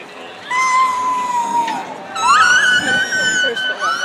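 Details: Captive killer whales (Orcinus orca) at SeaWorld San Diego, May 2017, heard during a presentation: long harmonic calls, one steady then dropping, another sweeping sharply upward, used to communicate; each pod has its own dialect.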